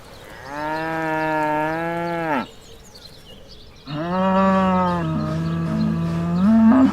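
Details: Black and white cow mooing on a farm: two long, steady, resonant moos of about two and three seconds, separated by a short pause, the second ending in a slight upward waver.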